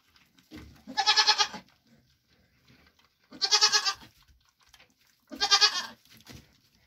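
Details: Bleating from a Nigerian Dwarf goat mother of triplets, fed her grain ration once her hooves were trimmed; three strong, drawn-out wavering bleats, each about half a second, roughly every two seconds, with soft noises between.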